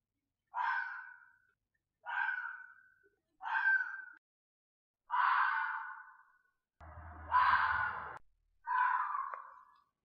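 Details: Fox calling seven times in harsh, hoarse bursts, each under a second long, separated by silent gaps. Brief low thumping accompanies the fifth call.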